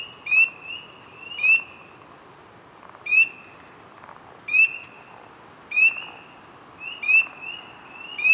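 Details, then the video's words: A single frog calls from the water, close up, the ripples around it coming from its calling; short tonal chirps with a bright rising upsweep, repeated roughly once every second, over a soft steady background hiss. "Frog close-up ASMR"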